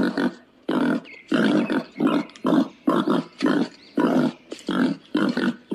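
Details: Wild boar producing rhythmic, gruff grunting bursts, roughly two per second, coarse and throaty with short gaps between them.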